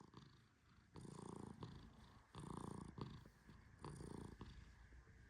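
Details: Tehran, a fluffy male Persian cat, snores in deep sleep while gently petted. Low, rumbling breath sounds swell and fade about every second and a half, with soft quiet gaps between each breath.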